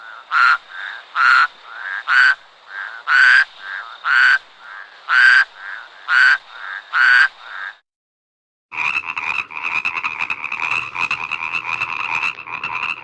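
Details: Frog climbing in a marang tree at night: a steady run of short pulsed croaks roughly every second for eight seconds, then after a brief silence a denser, continuous rattling chorus of croaks.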